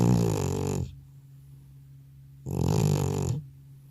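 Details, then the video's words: Old male cat snoring loudly indoors, deeply asleep after a vet visit, recorded without a separate microphone; two long rasping, rumbling breaths about 0.9 seconds each, separated by a quiet pause of roughly 1.5 seconds. "나의 늙은 고양이의 우렁찬 코골이 리얼사운드"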